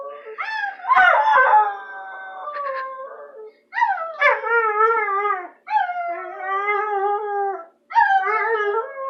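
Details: A howling bulldog gives a series of drawn-out, wavering cries, each starting with a sharp upward slide before settling into a sustained quavering tone, with short gaps between calls.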